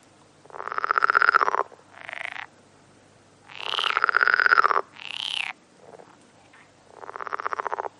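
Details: Frogs croaking: loud, rough, buzzing calls about a second long, alternating with shorter higher nasal bursts, repeated in an uneven sequence with short gaps, no other sounds audible.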